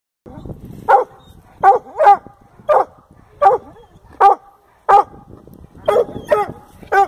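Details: A Redbone Coonhound gives loud, ringing barks at uneven intervals, baying at a treed fox squirrel.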